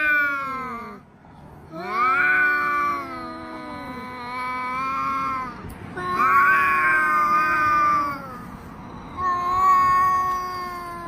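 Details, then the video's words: Domestic cat meowing: four long, drawn-out, nasal wails, each sliding in pitch and some wavering, separated by short pauses, with no other clear sounds. "Listen To The Sound Of These Cat #meow"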